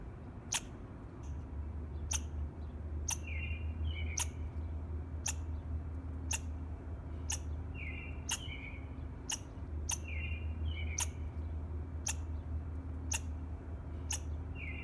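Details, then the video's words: A squirrel gives sharp, clicking chirps about once a second over a low background hum, in the morning. "Squirrel Chirping Sound in the Morning"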